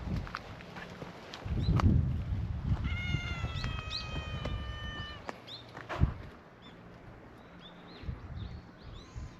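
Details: Outdoor gathering of stray cats on a cat island, the meowing chorus welcoming a visitor: one long, steady, tonal meow held about two seconds, with rustling and low rumbling noise around it.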